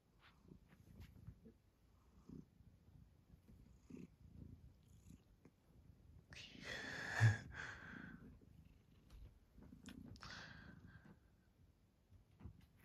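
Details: Maine Coon cat being played with indoors, purring in low rhythmic pulses throughout, rising to a louder burst of breathy noise and rustling near the middle, with faint handling sounds.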